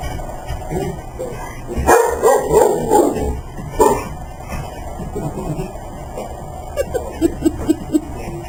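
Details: Domestic dog, excited just before going for a walk, gives a loud wavering whine-bark burst at two seconds and a short yelp at four, then a string of quieter rapid yips near the end, with room noise and a person speaking.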